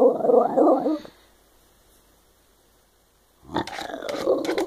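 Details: Shiba Inu dog "talking", making funny noises: a rough, growly warbling vocal burst for about a second, silence, then another grumbling, yodel-like outburst with a few sharp clicks.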